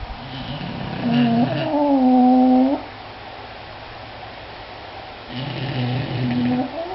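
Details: English Bulldogs snoring: a long whistling, wheezy nasal tone with stacked harmonics rising slightly then holding steady for about a second, followed by a quieter breath and another wheeze starting near the end.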